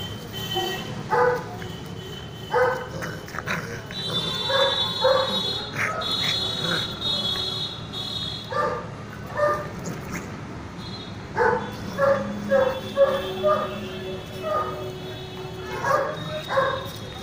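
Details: One-month-old Indian Mastiff (bully kutta) puppy giving short, high, harmonic yelps and yips in scattered bursts, some quick runs of three or four, with a faint steady tone and background hum throughout.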